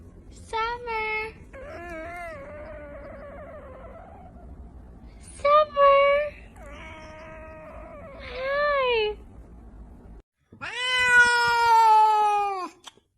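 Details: Chatty domestic cat giving a run of wavering, bending meows, several short and a few longer, mixed with a person talking to it indoors, ending in one long loud meow.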